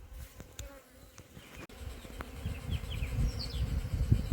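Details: Honey bees buzzing around a hive as the colony tries to settle low down without its queen, a dense low hum with soft thumps and scattered brief higher tones, growing louder toward the end.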